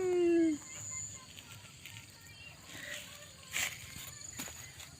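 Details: Kittens: one loud, short meow slides slightly downward in the opening half second, followed by quiet rustling, soft knocks and a few faint background sounds.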